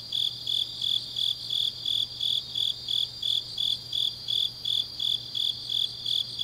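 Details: In Changnyeong, Korea, autumn grass insects sing deep into the night: evenly spaced, piercing high chirps roughly three per second, a fainter higher buzz behind them, and a constant low hum.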